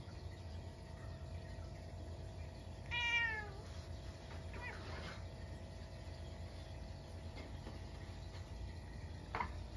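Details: Munchkin cat in a house at midnight on a snowy day, after a stink bug wandered indoors; a single harmonic meow near three seconds, falling in pitch, then quieter calls against a steady indoor hum.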